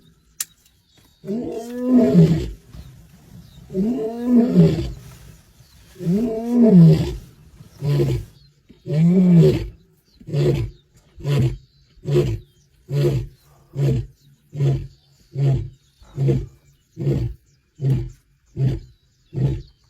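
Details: Wild male lion in the Masai Mara on 8 May 2025, warning his sons to stay away: several deep, long moaning roars, then a steady run of short grunting roars about once a second, fading gradually.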